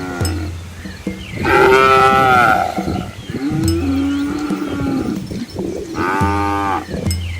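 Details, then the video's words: Herd of village cows and young calves walking a rural Asian road among rice fields; repeated loud moos, one long call with a sliding tone in the middle and another at the end, separated by low humming. "Cow Sounds"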